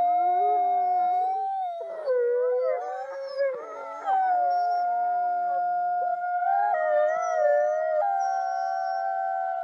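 Several wolves howl together, long mournful tones sliding up and down and overlapping in a chorus.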